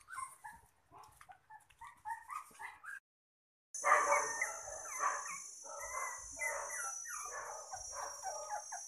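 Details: Mini Poodle puppy, two months old, at a dog farm, whining in rapid, wavering whimpers that run together, with a steady high electronic whine present in the second half.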